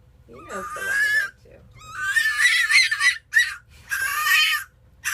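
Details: An 11-week-old baby fennec fox gives a series of high, wavering, raspy squeals in four main bursts over about five seconds, each a strained, quavering cry separated by short pauses.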